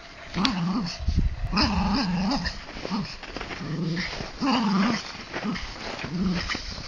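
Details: Two dogs, Bizsu the Jack Russell Terrier and Lujza the Mallorcan Bulldog, playing tug-of-war with a rope; short rumbling growls come in quick bursts about once a second, with thumps and scuffling between them.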